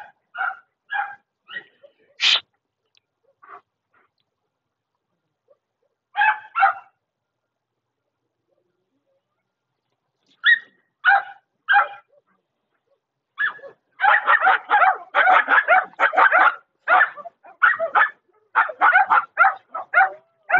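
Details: German Shepherd dog barking in short bursts, a few scattered yelps first, then a rapid run of harsh barks after a pause; quiet gaps between, a person's voice briefly.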